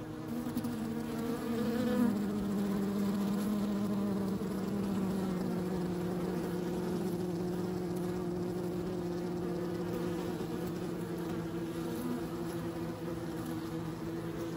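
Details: Bees hum loudly, one clear buzzing tone gliding downward early on over a steady, harmonic-rich drone that continues evenly to the end.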